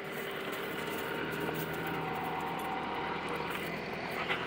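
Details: Continuous droning engine noise, like a passing aircraft, fills the outdoor air with no animal calls.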